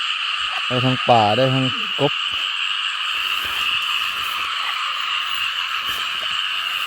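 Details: Frogs croaking in waterlogged paddy fields after heavy rain, at night during frog catching: a short cluster of rapid, harmonic, rasping croaks early on, then only a dense, steady high buzzing chorus.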